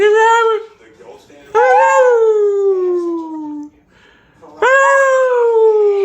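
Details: Pet dog howling along with its owner indoors: three long, drawn-out tonal howls, each starting high and sliding slowly downward, separated by short pauses, with a second voice joining in.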